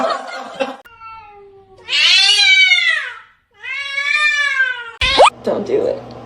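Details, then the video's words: Domestic cat from a funny cat-fight compilation gives two long, arching meows, each swelling up then sliding down over about a second, framed by bursts of voices in Russian and English and ending with a sharp clatter. "funny cats fighting"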